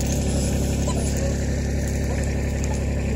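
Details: A steady low engine rumble with no animal voice. Faint traffic or vehicle noise fills the background.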